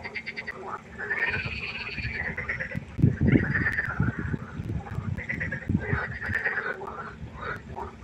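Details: Several frogs croaking together at night beside a pond, rapid overlapping rattling calls repeated more than three times a second, with some deeper low thumps mixed in among the chorus.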